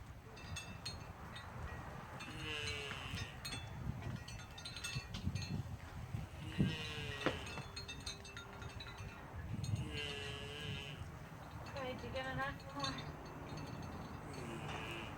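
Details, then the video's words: A male turtle moaning while mating with a female, two turtles together; drawn-out wavering moans rising and falling, several in a row, over a low rumbling background. "The male was making noises"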